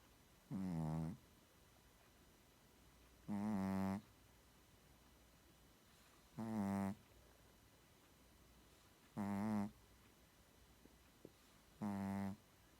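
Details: Sleeping Shih Tzu snoring: five deep, buzzy, tonal snores with rich harmonics, each about half a second long, coming steadily about every two and a half seconds, with a quiet indoor background between breaths.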